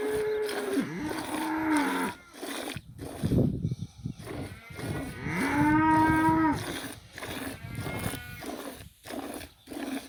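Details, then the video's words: Village cow mooing twice: a rich, harmonic moo opening the clip, then after a stretch of clattering, thumping noise a longer, louder moo that rises and holds before fading, followed by softer breathy lowing. "Ауылдағы сиыр осындай"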